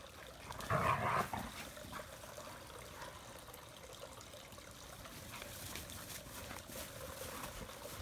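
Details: Springtime romp among three adult Sloughis: one loud, rough half-second growl burst near the start, then quieter scuffling and breathing-like noise through the rest.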